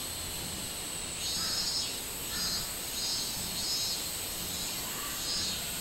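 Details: A minmin cicada in summer, 24 July 2016, gives spaced high buzzy pulses roughly every second and a half, each swelling briefly above a steady shrill insect drone.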